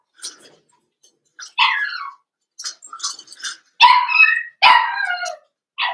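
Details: Blenheim Cavalier King Charles Spaniel puppies, a litter of five born at New Year's, in a home puppy pen. Irregular bursts of squeaky, downward-sliding whines and yelps, some faint and some loud, separated by brief silences.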